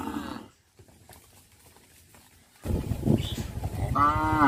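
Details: Cows of a village herd heading along a village road to pasture in the morning: a moo fades out at the start, then a quiet stretch, then loud broadband noise with another moo rising near the end.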